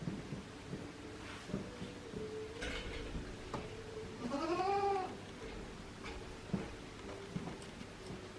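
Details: Goat at Yoshigake farm in Himi, Japan, 9 March 2019: Kinako, a mixed-breed mother under one year old, tending her newborn kid. A single arched, rising-then-falling harmonic bleat about half a second long, with soft low murmurs and knocks around it.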